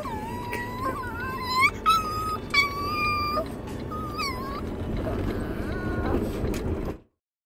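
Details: Chihuahua crying like a baby, with loud, bending, moan-like whines and quick upward yelps over the first few seconds, fading to softer whimpers before an abrupt silence.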